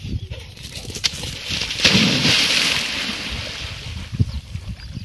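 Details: Water splashing and sloshing, with a faint voice in the background and no animal calls.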